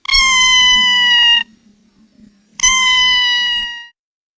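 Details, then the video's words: Domestic cat giving two drawn-out, steady meows, each over a second long, separated by a short pause. Both are bright, high-pitched and nasal, with a faint low rumble underneath. "CARNIVORES SOUND CAT"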